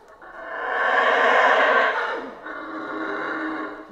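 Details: Rainforest howler monkeys of Central America give a loud, grating roar that builds quickly, stays full for about a second and a half, then drops into a softer, sustained second roar.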